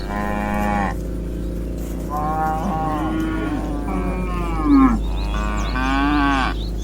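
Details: Dozens of cows being herded in a meadow, lowing in overlapping drawn-out moos, some deep and steady, others higher and wavering, with barely a pause between callers.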